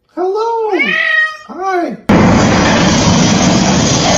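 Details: Cat giving two drawn-out, rising-then-falling meows in about two seconds, followed abruptly by loud steady broadband noise.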